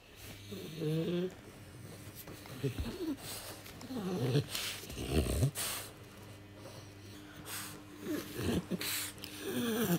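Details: French Bulldog Oleg, in the forest trading found wooden sticks for food, gives short low whining grunts and snuffly snorts in several separate bursts over a steady low hum, with some human speech.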